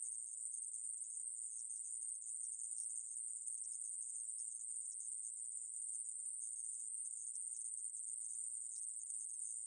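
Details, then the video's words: A conehead katydid (애매부리) from a 2020 Korean recording gives a steady, sizzling high buzz. The drone runs without a break or change in pitch, and nothing else is heard in the background. "애매부리, 여러번 듣기, 곤충소리"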